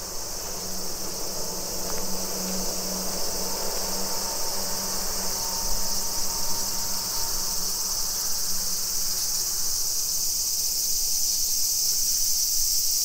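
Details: Summer cicadas in a suburban neighbourhood of Nisshin city near Nagoya, Aichi Prefecture, Japan, at 2 PM on 28 July 2021: a dense, constant high-pitched buzzing chorus, over a low hum and faint distant traffic.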